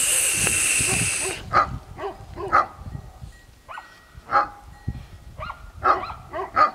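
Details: Dog barking at a flock of sheep; a loud, rough noise burst opens, then about six short, sharp barks come in irregular bursts, some in quick pairs, over a quiet background.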